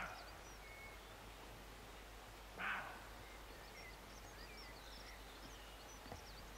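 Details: Roe deer near Morpeth, Northumberland, in August 2012, giving one short, harsh bark midway through an otherwise quiet rural scene, with faint small bird chirps scattered in the background.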